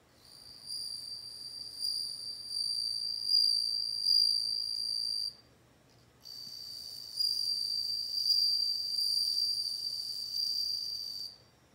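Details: Bell cricket (suzumushi) singing a bright, high, ringing trill held steadily for about five seconds, then pausing briefly before a second long ringing bout with faint flickering pulses. The background is otherwise quiet.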